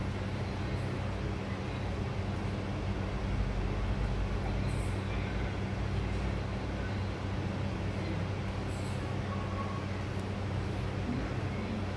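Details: Constant low rumble and hum with steady broadband noise, like an engine or ventilation running, and no animal call heard.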